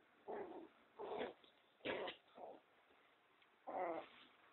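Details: Two-month-old pinscher puppy Nino at play: five separate short growling bursts, each under half a second, spaced about a second apart, with quiet gaps between.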